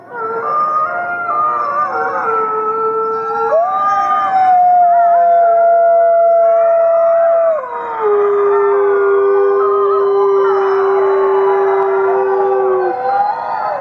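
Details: Gray wolf pack of fifty in a howling chorus: many overlapping wavering voices, then one howl jumps up to a long level note, breaks, and drops to a lower sustained tone held for several seconds.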